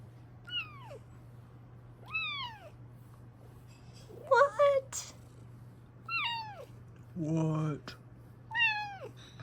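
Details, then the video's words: Female Bengal cat indoors, meowing while checking on her owner who sits down: repeated short descending meows roughly every two seconds, with a woman's voice talking and laughing between them and a steady low hum. "EVEN CUTER MEOWS THAN BEFORE!!"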